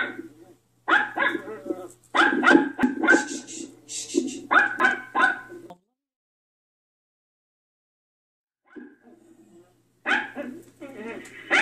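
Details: Frightened Yorkshire Terrier named Poki reacting to a played dog sound. Bursts of sharp, ringing barks come in quick clusters, then a long silence, then faint yips and a final flurry of barks. A low hum runs underneath.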